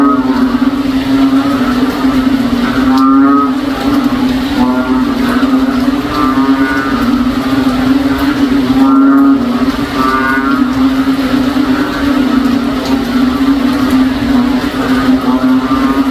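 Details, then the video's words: During a rainy day in a provincial backyard, cow-like frogs drone continuously: a deep sustained hum with regularly spaced, rippling harsh pulses and a couple of brief sharp knocks. "NOISY FROG SOUNDS LIKE A COW IN OUR BACKYARD ON A RAINY DAY"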